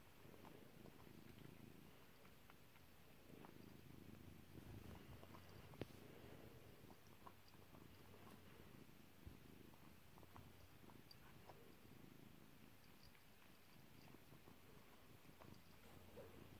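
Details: Kairi, a pet cat, purring while being petted: a soft, low, continuous rumbling purr with scattered faint pops and clicks, plus one sharper pop near the middle.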